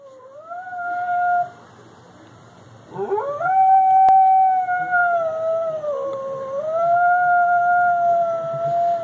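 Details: Chloe, a pet dog, howling in response to sirens she hears; long sustained tonal howls holding steady pitch, a brief pause, then a rising howl that stays level, dips and rises again.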